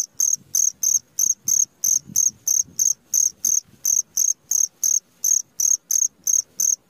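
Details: Cricket chirping at midnight: short pulsed chirps at a steady high pitch, repeated roughly three times a second in an even rhythm, with faint low rumbling underneath.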